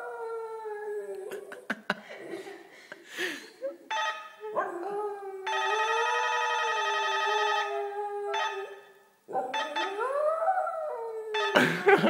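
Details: Small pet dog howling in response to the doorbell: long wavering tonal howls that slide up and down, a ringing doorbell chime sounding clearly for about two seconds midway, then a rising, swelling howl to finish.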